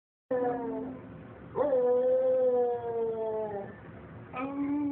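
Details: Trinket, a dog, howling in three drawn-out, tonal notes: the first short and slightly falling, the second long and steady before sliding down, the third starting again at the end, with a rich harmonic tone.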